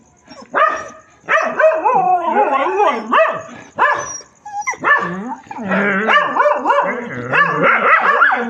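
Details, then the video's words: Dogs crying at night: several wavering, whining howls rise and fall in bursts, overlapping one another, with brief pauses between and a steady faint high hiss behind. "रात में कुत्तों का रोना"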